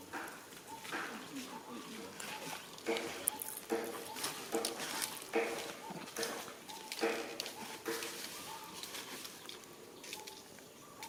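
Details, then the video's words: Baby monkey crying until its mother comes to give milk: short, tonal, slightly wavering cries repeated steadily, roughly one each second, over rustling and scattered clicks in the background. "Little Monkey Cries Until Mommy Comes to Give Milk"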